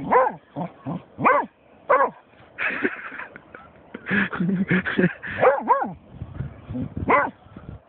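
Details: German Shorthaired Pointer Snoop, agitated by a dead seagull, gives rapid yipping barks, then a stretch of rougher, noisier vocal sounds, ending with wavering whining barks.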